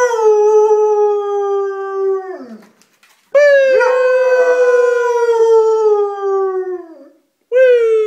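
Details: Female pet dog howling good morning, hungry and wanting food: two long sustained howls, each trailing off downward, separated by a short pause, with a third howl beginning at the end.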